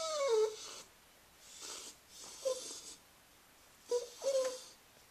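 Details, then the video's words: Scruffy, a female Cairn Terrier bought as a pup from a pet store, whining indoors in a small room: thin, high descending whimpers at the start, then short nasal squeaks spaced about every one to two seconds, with breathy wheezing sounds between. "Aunt Duddie Has A Whiney Little Dog"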